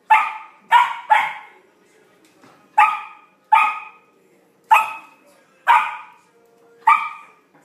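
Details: Samoyed puppy at play with a large new ball, giving eight crisp, high barks in irregular bursts, some paired closely, others spaced a second or more apart, over a quiet indoor background.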